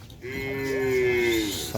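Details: Cattle in training with a new formation for Kerapan Sapi Piala Presiden bull racing, the bull named Hajar Boss: one sustained, steady, tonal moo of about a second and a half that sags slightly in pitch at the end, over faint background noise.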